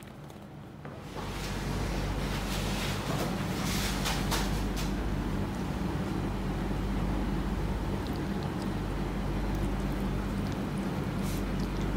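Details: Steady broadband rumble like wind or engine noise with a few scattered knocks and no animal voice.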